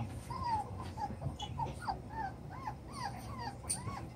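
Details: Chocolate brown Toy Poodle puppies, seven weeks old, romping in their doubled-size pen: a run of thin arched whines and yips, each rising then falling, repeated about twice a second, with low rumbling background noise.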